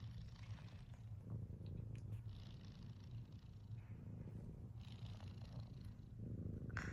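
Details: A sleeping cat snoring, a soft, steady low rumble running throughout, with faint breathy hisses rising and falling over it.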